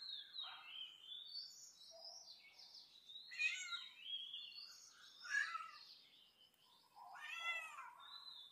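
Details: Domestic cats meowing repeatedly, a series of bent, wavering, harmonic-rich cries, some rising and falling, roughly every second or two, with a drawn-out full meow near the end; no other clear sounds.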